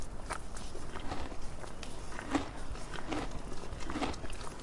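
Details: A donkey feeding: crisp crunching bites come in uneven clusters, some sharper snaps standing out, over a low constant hum.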